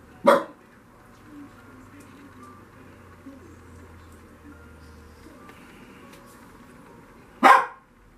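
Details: A Lhasa Apso playing on a Friday afternoon, recorded with a Canon PowerShot SX530 HS, gives two loud, abrupt single barks about seven seconds apart, with only quiet room hum in the long gap.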